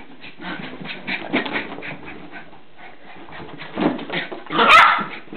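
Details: Border Terrier puppy having a mad turn while playing: broken, scratchy whimpers and short yips run through the first half, a brief quieter gap, then a louder harsh yelp near the end, with faint human speech.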